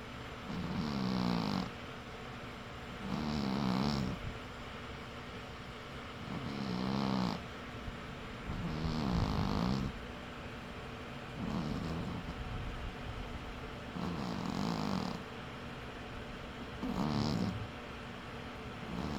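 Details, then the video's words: Sleeping cat with steady snoring, seven buzzy rasping breaths roughly every two to three seconds, each a low fluttering drone separated by quiet exhales. "Cat Snores"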